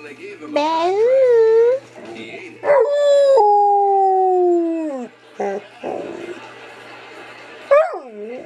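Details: Female pet dog howling at its owner's prompting; wavering tonal howl, then a long steady falling howl lasting about two seconds, followed by short human vocal bursts and a final rising-falling howl.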